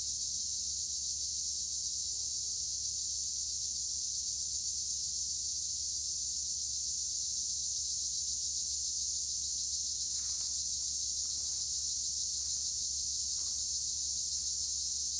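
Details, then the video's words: Tree crickets (Acheta assimilis) singing in olive trees at Edremit/Güre, Turkey: a seamless, piercing high shrill keeps going, and a handful of faint short chirps from something else break in near the end. "Tree cricket noise in Olive trees - acheta assimilis"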